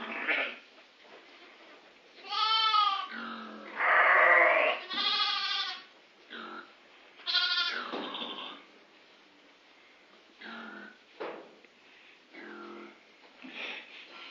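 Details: A pedigree Grey Face Dartmoor flock of ewes and their lambs less than two weeks old, on a farm. The sheep give loud, quavering, harmonic bleats that overlap around the middle. Shorter, quieter bleats follow at irregular intervals.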